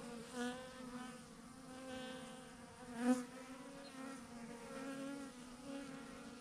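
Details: Thousands of bees clustered in a big clump on a branch: a rich, even hum from the swarm, with brief louder buzzes from bees passing close at about half a second and three seconds.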